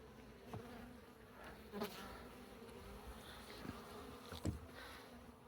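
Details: Honey bee colony, active two years inside a wall, humming steadily as combs are removed in a cutout; a low even drone with overtones, punctuated by occasional taps and clicks from handling.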